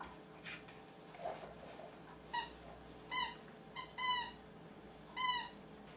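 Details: Siberian Husky Nanuk indoors, practising his singing early in the day: a series of short, high, squeaky yelping howls in bursts, with rapidly stacked tones, several clustered between the third and sixth seconds with quiet gaps.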